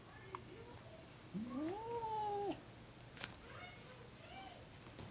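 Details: An adult six-year-old cat meets a ten-month-old kitten for the first time indoors, the two licking and washing each other. One drawn-out meow rises and then dips gently for about a second, with quiet room noise and faint clicks around it.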